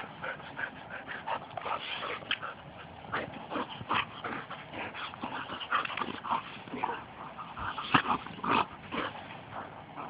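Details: Two pet Labrador retrievers wrestling and playing rough together: a dense, uneven stream of short, sharp yips and whiny squeals, some bursts louder than others, with constant scuffling between them.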